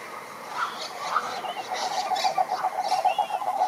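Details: Cururu toads (Rhinella) chorus at a lake near Curitiba, Brazil, giving low pulsed trills overlapping into a steady rolling drone.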